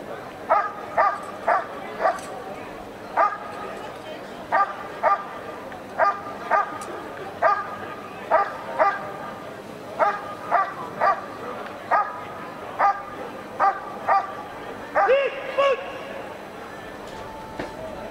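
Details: Dog Ivar vom Falorie doing protection work at the NIAK 2017 trial. It gives steady, sharp barks, about one every second, with a higher whining yelp near the end, over a murmur of crowd chatter.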